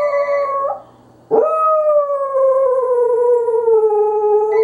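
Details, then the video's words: A Pembroke Welsh Corgi howls at a phone in long, sustained tones that slowly slide downward after a brief pause. "Corgi Howl"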